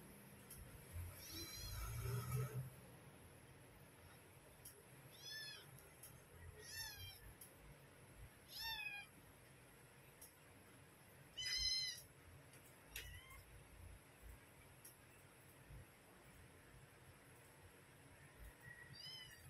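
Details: Mother cat and her kittens at feeding time: a string of short, very high-pitched, thin mews spaced one to two seconds apart, some doubled, over a quiet background with low rumbling.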